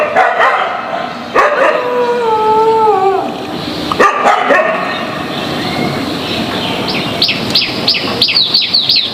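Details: Dogs unhappy with each other barking loudly; sharp barks, then a long wavering howl-like whine, followed by quick high-pitched yelping notes near the end.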